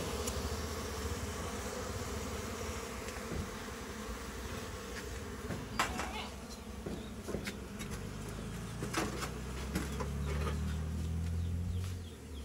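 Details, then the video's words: Humming honey bees inside a farm house goat shed during honey hunting; a continuous low buzz runs beneath scattered sharp knocks and clatter, with a deeper drone rising toward the end. "Bee hunting in the farm house ॥ inside the goat’s shed honey bee"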